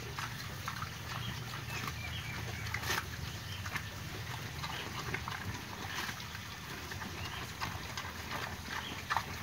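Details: Wild boar raised in a pen, munching its food on 24 August 2022. Loose crackling chews and occasional sharper crunches repeat unevenly over a faint low background rumble.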